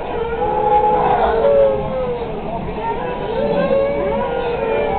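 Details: A dog on a train, provoked into howling, howls in long, wavering tones that slide up and down over a steady low rumble.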